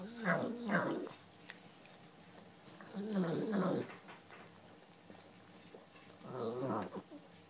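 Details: Boston Terrier making odd noises while eating: three bursts of throaty, growl-like grumbling and snorting, each about one second long, separated by quiet pauses.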